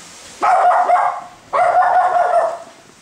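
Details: Two long, raspy barks about a second apart from a Chihuahua squaring up to a Maine Coon cat, each harsh and sustained with a slightly wavering tone.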